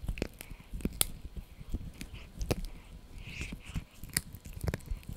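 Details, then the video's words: Blue, a Yorkshire Terrier puppy, chews a dried bunny ear indoors; crisp crunchy bites and clicks come irregularly throughout, with soft mouth noises between them in a quiet small room. "ASMR Yorkie Puppy Eating Dried Bunny Ear 🐾 | Funny Faces & Crunchy Sounds!"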